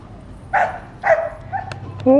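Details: ['Dog barking when children walk by, heard day after day; two hoarse barks half a second apart, followed by fainter sounds and a person speaking at the end.']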